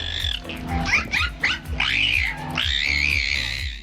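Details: Dolphin making strange noises from its nose, since it has no vocal cords: squeaky rising and falling whistles and quick chirps, over steady background music.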